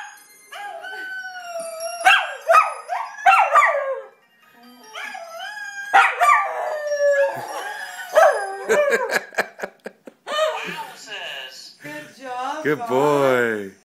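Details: Singing along with a woman's karaoke, a pet male Welsh Terrier gives a series of long, bending tonal howls, some trembling rapidly in pitch, interleaved with her voice and short pauses.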